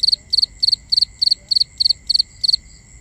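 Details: Nighttime cricket recorded binaurally: nine crisp triple-pulsed chirps in a regular rhythm, roughly three every second, then a brief pause, with a steady high background hum of other insects.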